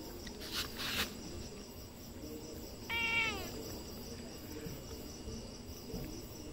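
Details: Domestic cat giving one short meow with a falling tone that slides down, set against a steady background hiss and a few soft knocks early on.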